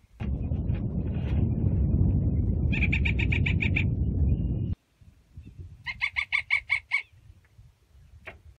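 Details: A Gunnison's prairie dog gives two quick bursts of sharp, repeated barking chirps, a territorial call to announce presence and claim a burrow, at Redondo Meadows, Valles Caldera National Preserve, New Mexico, June 2016.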